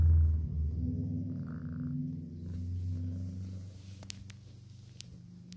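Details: Oscar and Oliver, two pet cats being fed, give a low continuous throbbing purr that fades toward the end, with several sharp clicks and light tapping sounds in the last seconds.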